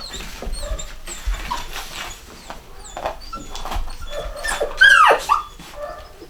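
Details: A home-bred litter of chocolate Cockapoo pups, a Cocker Spaniel x Poodle cross, in the UK in 2015: faint peeps at first, then one loud wavering whine dropping in pitch near the end.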